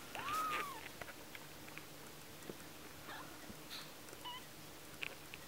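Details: One-week-old kitten gives a single clear arched meow right at the start. Faint small clicks and a short high chirp follow, against a quiet indoor background.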